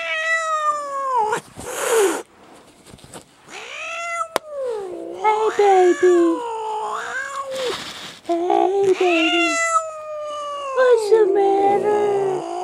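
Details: Domestic cat yowling while being pulled out from under a chair: long, drawn-out wailing cries that bend up and down in pitch, with a person cooing soothing words between and over them.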